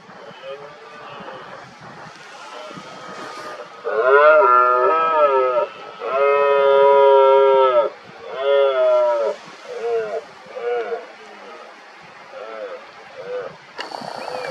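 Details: Red deer stags during the 2023 rut roaring repeatedly, working each other up to challenge an injured dominant stag; two long, loud, harmonic drawn-out roars followed by a series of shorter, fading bellows over a quiet background.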